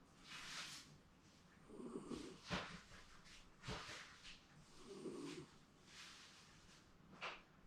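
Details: Snoring from a Shiba Inu enjoying a comfortable daytime nap indoors, perhaps dreaming, with low rumbling snores rising and falling in slow cycles between airy breaths and a couple of brief snorts.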